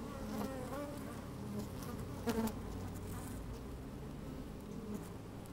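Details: Honey bees busy at an open hive, recorded from within on a fine sunny day: a dense droning hum with layered harmonics and one brief louder buzz midway, light wind in the background.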